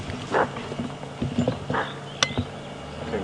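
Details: At sunrise on April 14, 2015, among waist-high grass, a bushbuck gives sharp, hoarse, dog-like alarm barks while fleeing a leopard that is hunting it.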